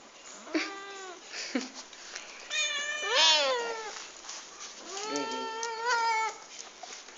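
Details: A domestic cat gives a series of drawn-out, wavering meows, some rising and falling, at breakfast time in the morning among several household cats.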